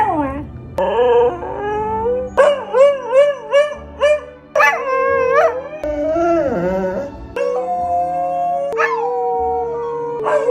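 A corgi gives wavering, yodel-like howls and whines over soft background music.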